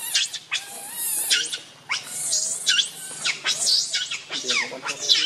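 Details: Hungry baby monkey named Rainbow, very angry, cries to its mother for milk: shrill, piercing screams that rise and fall in arcs. They come in quick bursts of about one per second and are high and strained.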